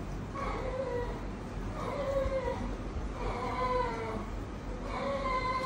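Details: Ton Ton, a chunky, friendly and talkative domestic cat met at a veterinary clinic, gives four drawn-out, mid-pitched meows about every one and a half seconds, each with a slight rise then fall, over a low room hum.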